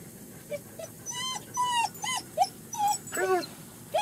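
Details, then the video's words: German Shepherd puppies out with their mother for the first time at a Florida kennel, whining in short arched and drawn-out whimpers spaced irregularly, with brief human speech around them. "GSD puppies experiencing first time outside with Mom Pure Torture"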